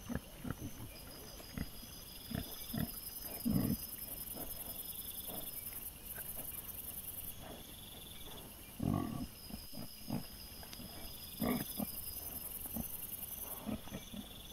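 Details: Wild boar recorded by a trail camera on 22 September 2024: sparse low grunts scattered across the scene, two or three more distinct than the rest, while a steady high chirring comes and goes in the background.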